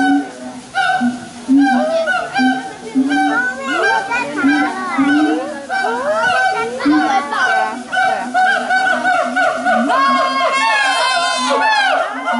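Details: Siamang at Taipei Zoo on 5 September 2015, calling in a territorial display, warning others off its turf: loud rising and falling whooping notes, repeated and building, with crowd chatter and children's voices around.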